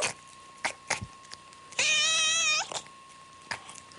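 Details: Domestic cat lets out one loud, drawn-out, wavering meow lasting under a second, framed by scattered knocks and bumps, with a steady thin electronic tone sounding throughout.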